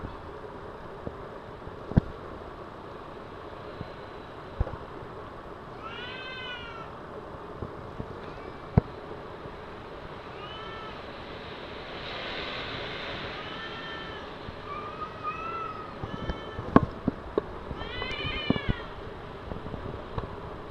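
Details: Two cats fighting in a car park, giving several short harmonic yowls and wails around 6, 11, 16 and 18 seconds over steady low traffic-like rumble and a few sharp clicks.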